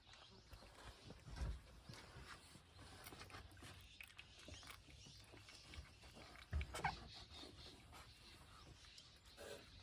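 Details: Seven-day-old Pungsan dog puppies, born June 14 and raised by their mother Iseul, making soft piglet-like grunts and brief squeaks amid shuffling and rustling, with a few louder thumps near the start and middle.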